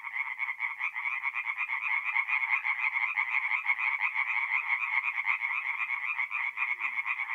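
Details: Singing tree frogs at a forest pond on an April night in North-East Italy: brisk, rhythmic croaking pulses from many frogs merge into a continuous rattling chorus.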